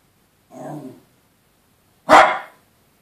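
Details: Male and female Yorkshire Terriers, the female always terrorising the male: a softer, lower bark-like growl followed after a pause by one loud sharp bark.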